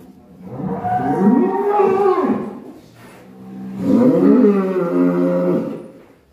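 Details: Black cattle said to be raging, uttering two long, deep moos about three seconds apart, each swelling then fading, with a brief quiet gap between them.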